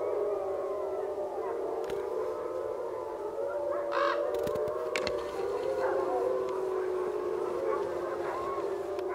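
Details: Several gray wolves at a wolf sanctuary give a morning howl around sunrise, long smooth overlapping tones holding steady and gently wavering in pitch.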